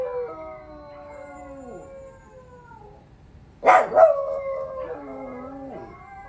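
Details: Pups joining a dog howl challenge: long, layered howls slide gently downward, then a loud double yelp, then more wavering, falling howl notes from more than one voice.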